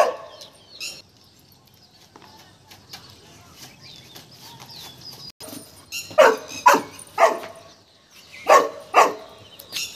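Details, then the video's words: Golden Retriever Tiger, reacting fearfully to a peacock: a quiet opening with faint high tones, then a run of about six loud, harsh barks grouped in pairs. "Tiger dar raha hai peacock se"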